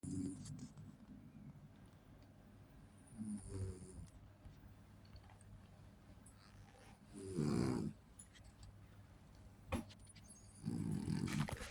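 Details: French Bulldog puppy, female, snoring in her sleep with little grunts: low rumbling snores in bursts around four, seven and eleven seconds, quiet pauses between, a faint click near ten seconds.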